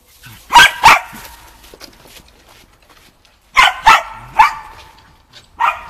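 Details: Shetland Sheepdog named Shaun barking during agility training on the dog walk, practising running contacts, recorded 11 November 2013; sharp barks in quick pairs, a burst near the start and another about three seconds later, then a final bark.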